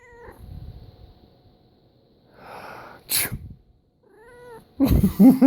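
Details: An indoor house cat reacts to human sneezing: a brief meow opens, a sharp sneeze bursts out, then a second clipped meow answers before loud, noisy human sounds close the clip.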